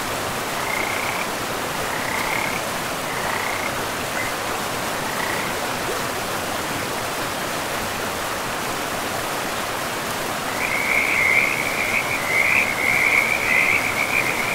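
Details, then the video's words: Frogs calling beside a river in a pristine forest with moss-covered ground: short, faint, evenly spaced croaks early on, then a dense run of louder rapid croaking in the last few seconds, over a steady rushing of river water throughout. "River and Frogs sleep sounds"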